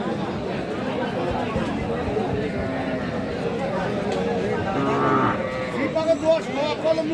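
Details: Deshi-breed cows with their calves at Aftabganj cattle market on 4 March 2025; a drawn-out lowing moo swells near the middle, heard over constant crowd chatter and trader voices of the busy market.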